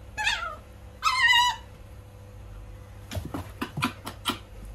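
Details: Small wild fox, first day kept in a cage, giving two short, high, quavering whines about a second apart, the second louder and longer, followed by soft rustling and knocking sounds against a low electrical hum.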